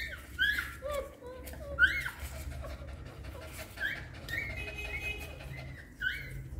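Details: Newborn puppies suckling from their mother dog make scattered high thin squeaks and whimpers, a few seconds apart, with soft rustling and low background noise.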